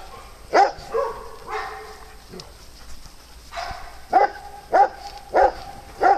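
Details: Farm dogs at playtime: a few scattered barks, a quieter stretch, then four loud evenly spaced barks about half a second apart, with soft voices in the background.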